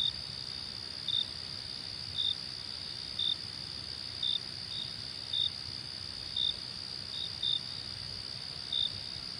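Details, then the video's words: Crickets chirping at night, short bright high notes about once per second above a constant shrill trill, some notes doubled. "Crickets and Night Sounds"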